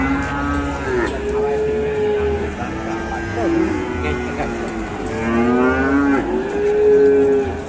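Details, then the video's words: Agitated cattle, said to be raging beyond control on an Indonesian farm, let out a string of sweeping, wavering moos, some rising, some falling, repeated over several seconds. "SAPI NGAMUK KUNGFU MASTER LEPAS KENDALI"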